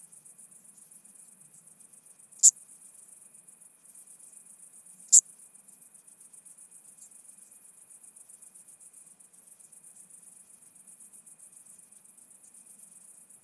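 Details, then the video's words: In Arzo, Switzerland, on 4 August 2023, a Chabrier's marbled bush-cricket, heard via a Pettersson D 100 ultrasound detector, produces two isolated, clicky high chirps nearly three seconds apart, then a long stretch of steady faint high hiss. "Eupholidoptera chabrieri -- Grüne Strauchschrecke -- Chabrier's Marbled Bush-cricket"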